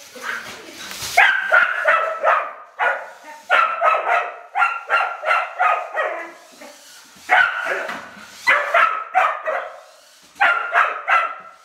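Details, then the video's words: Female rough collie named Jessie barking at a toy radio-controlled car she treats as an enemy; clustered runs of three to five quick, sharp barks separated by short gaps, opening with a brief noisy thump. "Rough collie barks at a baby car, reaction of a collie dog on baby car"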